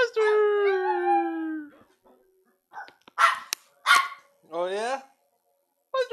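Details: Pet Pomeranian dog howls when he hears his name: one long, smooth, slowly falling howl lasting nearly two seconds, followed by human voices and short yelping sounds.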